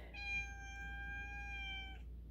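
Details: Male rescue house cat meowing to be let outdoors: one long, steady, even-pitched meow of nearly two seconds, tonal and rich in overtones, ending abruptly, with a low steady hum beneath.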